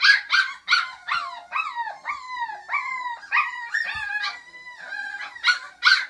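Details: Five-week-old puppies, the daughters and two sons of a dog named Flute, give high overlapping yelps and short howls, each note sliding downward, several pups calling together in quick, uneven succession.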